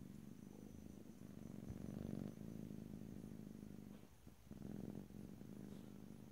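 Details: Domestic cat purring, recorded close up in stereo: a steady low rumbling purr that swells and fades with each breath, louder around two seconds in, with a brief dip near four seconds before it resumes.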